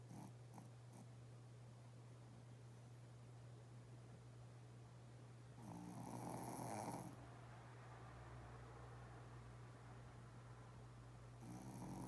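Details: Loud snoring from a Shih Tzu asleep with twitching legs: short raspy snores at the start, a stronger rattling snore around the middle, and another near the end, separated by quiet breathing over a steady low hum.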